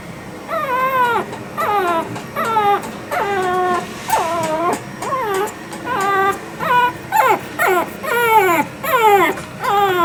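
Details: Female Shih Tzu puppy born 25 December 2021, at a pet shop in Yokosuka, Kanagawa, Japan: loud repeated whiny whimpers, each falling in pitch, about one a second for ten seconds.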